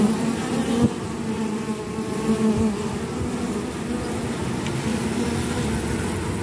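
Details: Forager honey bee bearing orange propolis on its legs, heard as a continuous droning buzz with stacked harmonic tones that pulse in short louder bursts early on, then settle into an even hum.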